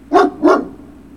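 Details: Two loud, sharp barks from a Great Dane puppy, recorded 03-06-2019, spaced about a third of a second apart, each a bright, harsh burst followed by quiet room hum.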